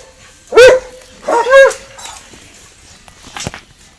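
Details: Dogs Winston and Popeye barking at each other across a garden fence: two loud, sharp, harmonic barks about a second apart, followed by a fainter short bark near the end.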